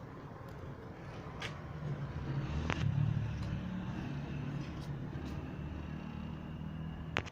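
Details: Low outdoor rumble of passing vehicles fills the recording, broken by a few sharp clicks and knocks, with no animal calls heard.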